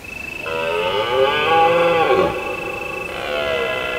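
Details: Deer roaring at night in autumn in the hills of Provence under a full moon: a drawn-out, harmonic-rich bellow lasting about two seconds that rises slightly and then falls away, over a steady, high, pulsing chirp of crickets.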